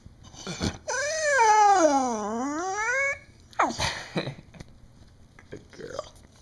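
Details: Pet beagle named Sarah, indoors, seemingly trying to tell her owner something: a long loud tonal howl lasting about two seconds that dips and rises in pitch, then short yelps and vocal bursts, with people talking.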